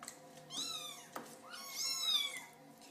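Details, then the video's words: Kitten trying to get its owner's attention with two thin, high, drawn-out mews about a second apart, the second rising then falling, a quiet room with a person talking. "Little Kittens Meowing"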